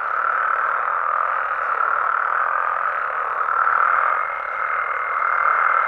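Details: Night chorus of frogs in Mexico, many callers blending into a constant rasping wash; near the end a thin, steady higher whistle-like tone rises above the massed croaking.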